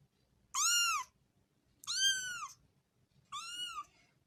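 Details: Young kitten playing with its mother mews three times about every 1.4 seconds. Each call is short, arched and high-pitched, over a faint low background rumble.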